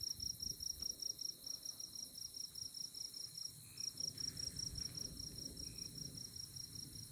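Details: On a moonlit night in tallgrass prairie at Konza Prairie near Manhattan, Kansas, insects chirp in a fast, steady, high-pitched pulsing trill, with low rumbling noise beneath.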